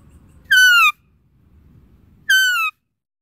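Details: Deer calling twice: a clear, high, slightly falling whistled note held about half a second, the two separated by under two seconds of faint low-pitched background noise.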